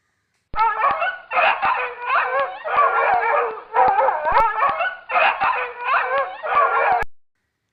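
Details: Dog barking, presented in an animal sounds lesson: a series of six drawn-out, wavering howl-like yelps, each lasting about a second with short gaps, clean with no other sounds.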